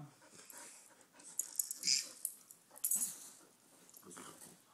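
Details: Pet dogs wrestling at home while a baby sits on the floor watching; hissing, wheezy snorts and breathy huffs come in short bursts, loudest near the middle, over a quiet room.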